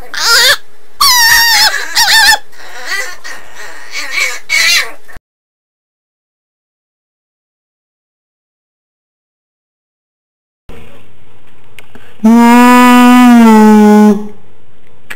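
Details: Household dog giving his habitual odd sound instead of barking: squeaky, wavering whines in quick bursts for five seconds, then silence, followed by one loud, steady, moaning cry lasting about two seconds.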